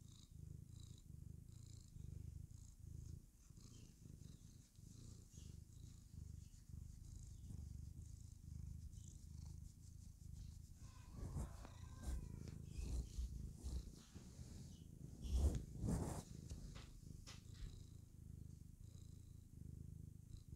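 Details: Happy female house cat purring as she clowns around: a continuous deep throbbing rumble that holds steady throughout, overlaid midway by rustling and a few brief handling noises.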